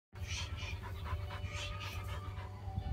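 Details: Ten-month-old female Malinois in scent detection and discrimination training, learning to find odours given off by mares in oestrus for research on mare ovulation; rhythmic breathy panting bursts, about three per second, over a steady low hum.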